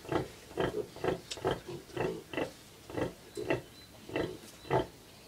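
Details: Bentheimer Landschwein sow with 11 young piglets at an open-air museum farm in Detmold, Germany: short soft grunts repeated roughly every half second, evenly paced and low, with little else heard.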